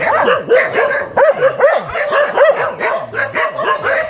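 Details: Dog described as very fierce, barking in a rapid run of short, sharp, overlapping barks, several per second, each with a quick rise and fall in pitch; barking continues steadily with no other clear sounds.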